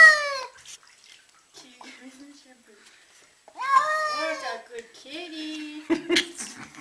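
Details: Agitated cat freaking out, giving a sharp falling meow, then a drawn-out wavering yowl after a near-silent pause, followed by a lower steady moan and a brief clatter near the end.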